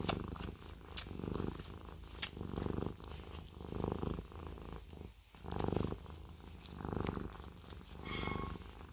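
A Siamese cat purrs steadily, a low rumbling throb that swells and fades with each breath.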